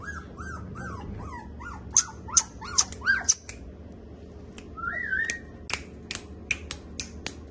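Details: Samoyed puppies, KCI registered, in Delhi, India; a run of short arched yips repeats about every half second, followed by sharp clicking snaps and a brief sliding whine, over a low indoor hum.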